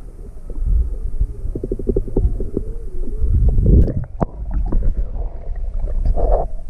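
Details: Juvenile humpback whale off Maui on February 17, 2020, curious and close to a quiet boat, mother nearby: rapid pulse train with a gliding moan, then sharp knocks and a burst of louder splashing rumble.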